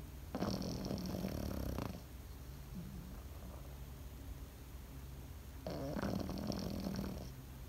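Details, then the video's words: Pekingese asleep indoors. It gives two rough, rattling snore breaths, each about one and a half seconds long, separated by a quiet pause. A constant low electrical-sounding hum runs underneath. "心地よい犬の寝息BGM ペキニーズ。 Comfortable Dog's sleeping sound pekingese."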